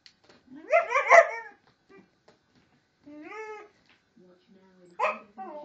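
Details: A four-month-old Siberian Husky pup plays with a vacuum cleaner, giving drawn-out, wavering yowls that rise and fall in pitch, broken by short pauses.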